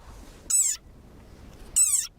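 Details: A very angry desert rain frog gives two shrill, rich squeaks as a war cry, each a quarter-second long and slightly falling, like a squeezed dog toy.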